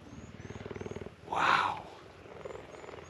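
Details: Cheetahs at the Ukutula conservation centre in South Africa purr loudly while being petted. A steady, rapidly pulsing low purr is interrupted midway by a brief, louder breathy burst, then the soft rhythmic purring resumes.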